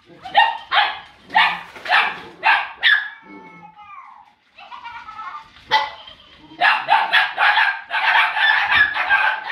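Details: Litter of puppies almost eight weeks old at play with a ball, yapping in rapid high-pitched barks about twice a second, a short whiny gap in the middle, then a dense run of overlapping yips.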